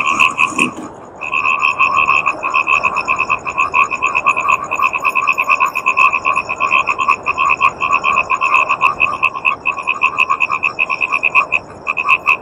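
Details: Yellow Indian bullfrogs give a dense, rapid run of nasal croaks that carries on without a break.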